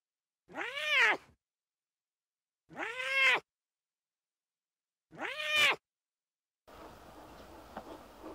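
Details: Playful lion cubs in the wild give three arching, harmonic mews, each under a second long and spaced about two seconds apart, with clean silence between them and soft background rustling at the end.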